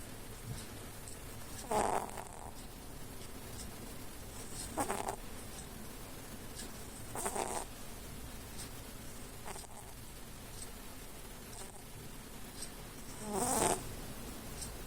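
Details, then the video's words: A cat dozes with eyes half shut, snoring: five rasping, breathy snores spaced about two to four seconds apart, each a short hoarse rush over a steady low background hum. "храп вполглаза"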